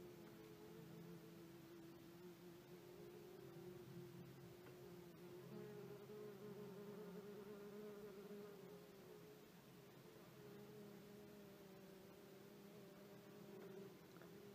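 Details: A couple of common wasp (Vespula vulgaris) workers nervously attacking a dead hoverfly placed on their nest. They make a steady, low droning buzz that wavers slightly in pitch and runs on without pause throughout.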